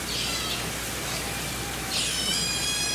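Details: An Asian small-clawed otter (Aonyx cinerea), one of a male-female pair at Toba Aquarium in Mie, Japan, on 1 January 2018, gives two high, squealing, overtone-rich calls about two seconds apart over a steady background hiss.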